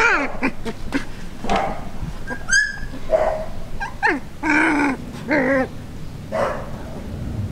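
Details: Border collie puppies at one month old, a litter filmed from birth to two months: high whining whimpers and yelps, some harmonic and wavering, several short squeaks and drawn-out cries overlapping in quick succession.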